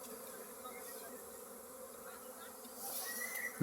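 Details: Hive full of honey bees next to a mustard field, where honey is being harvested: a dense, even buzzing drone that swells slightly toward the end, with a faint high whistle over it.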